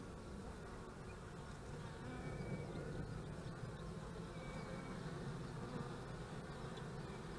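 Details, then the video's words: Honey bees at the hive on March 25, 2015, during beekeeping: a dense, continuous low droning hum of many bees, steady throughout with slight swells. "bei den Bienen"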